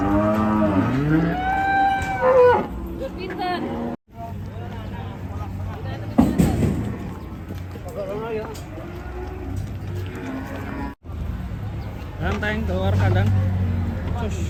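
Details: Raging cattle in Indonesia bellow in rising, wavering moos with strong harmonics, several calls in a row, mixed with people's voices and clattering, a loud bang near six seconds and short gaps in the sound.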